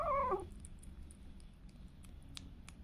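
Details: Indoor pet cat or kitten giving a single short meow at the start, then low room hum with scattered faint clicks.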